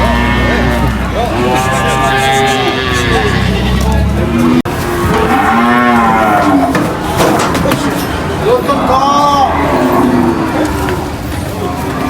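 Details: Cattle being unloaded from a truck at a market moo repeatedly in deep, drawn-out calls, with people talking nearby.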